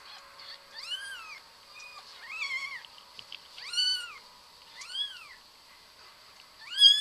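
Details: Pet cat giving a series of short arched meows, each rising and falling in pitch, spaced roughly one to one and a half seconds apart, with a louder final meow; low background hiss.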